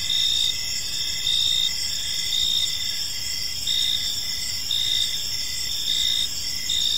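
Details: Crickets chirping in a peaceful park as evening unfolds; a steady high-pitched trill with pulses repeating roughly every second, several insects layered over a constant hiss of background noise.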